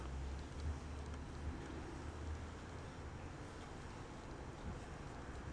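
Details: Low wind rumble and muffled handling noise fill the recording, with no animal voice.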